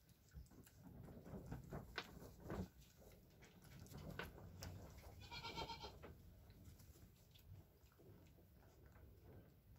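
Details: Newborn Nigerian Dwarf goat kids, a buckling and a doeling only hours old, beside their mother: one short high bleat with stacked overtones near the middle, among soft rustling, clicks and low rumble.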